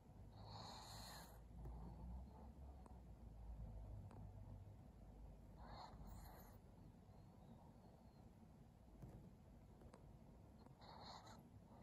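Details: Maria, a pug in Japan, recorded on 21 July 2021, gives snoring, snorting breaths in three rough bursts near the start, middle and end, over a steady low rumble.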